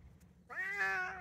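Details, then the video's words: Male Bengal cat, said to be always talking, utters a meow that rises at the start and then holds level, clear and tonal, lasting just under a second, with a faint low hum behind it. "Before You Consider Getting A Bengal Cat, Listen To This..It Never Stops"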